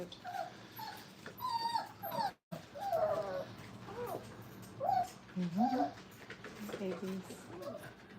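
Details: Brittany puppies, five weeks old, playing at a training kennel: a string of thin, wavering whines and squeaky yelps, some sliding upward, scattered through the clip while a person talks softly nearby.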